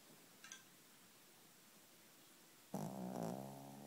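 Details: A female pet dog asleep on a bed at night, tired after an afternoon bath, gives a single buzzy, droning snore with a low harmonic rasp lasting about a second, after a quiet stretch with faint room hiss.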